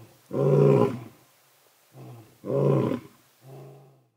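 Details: At night in Sabi Sands, an old male lion and his son walk close past a safari vehicle, roaring in unison: deep rumbling roars followed by shorter grunting exhalations, repeated about every two seconds.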